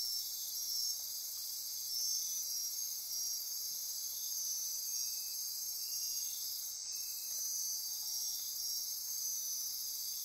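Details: Midnight insect chorus on Costa Rica's Osa Peninsula near Corcovado National Park, a continuous shrill ringing drone with pulsing high trills, plus a few faint short lower chirps in the rainforest.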